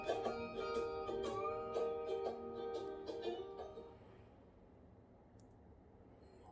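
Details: Plucked guitar-like music with strummed chords plays for about four seconds, then fades into quiet room hiss with no animal sound.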